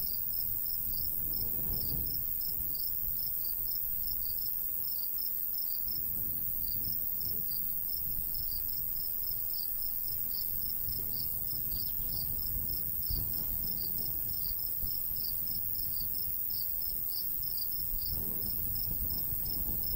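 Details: In golden summer wheat fields, crickets keep up a dense, rapid high chirping across the whole stretch while a light breeze swells and fades underneath.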